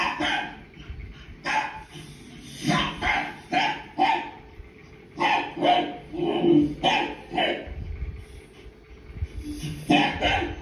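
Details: Pet dog barking in reaction to a barking sound on TV: short, sharp, broadband barks come singly and in quick pairs, scattered across about ten seconds with uneven pauses between them.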